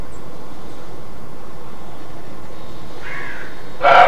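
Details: Alarm bark (Schrecken) of a roe deer in Mecklenburg-Vorpommern, Germany: quiet background, then a softer hoarse bark followed by a sharp, loud, gruff bark at the very end.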